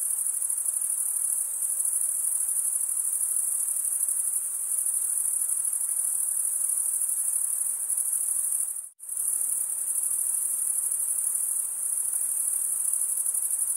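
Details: Cricket chorus of stridulating males, a continuous high shrill trill that cuts to a brief near-silent gap partway through, then resumes at the same steady level.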